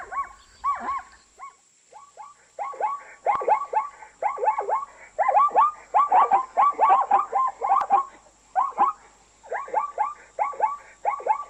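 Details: Neighing zebra from Africa giving a long, nearly continuous series of rapid yelping barks, clustered in quick groups of tonal, arched notes with brief gaps between clusters.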